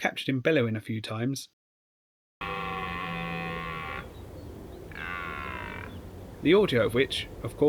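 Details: Rutting red deer at Richmond Park, heard after a brief burst of human talk: two sustained, moaning roars, about one and a half seconds then one second long, with a low hum beneath and speech returning at the end.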